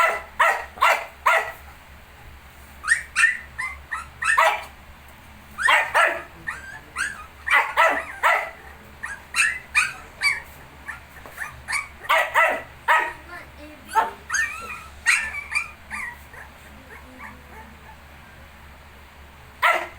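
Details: Shih tzu near its 19-day-old puppies, barking almost continuously in uneven bursts of two to four sharp barks, with short gaps and quieter yips mixed in, low hum underneath.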